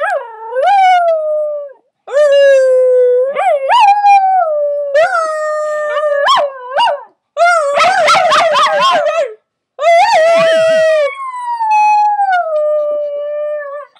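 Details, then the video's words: A puppy howls in repeated phrases: each starts with a quick upward yelp and slides into a drawn-out, slowly falling howl, with a burst of wavering cries in the middle, separated by short pauses. "Howling Puppy"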